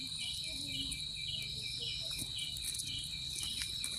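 Crickets chirp steadily in high, ringing pulses, several singers overlapping in a continuous chorus.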